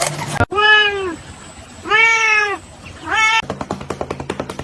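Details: Cat meowing, likely a kitten: three drawn-out, arching meows, the first two long and the third shorter. They are followed by a quick run of rhythmic clicking beats, with a short burst of other noise at the very start.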